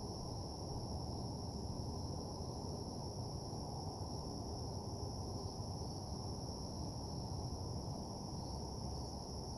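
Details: Crickets keep up a steady, high, unbroken trill at night in a deserted, empty parking lot, over a low traffic rumble.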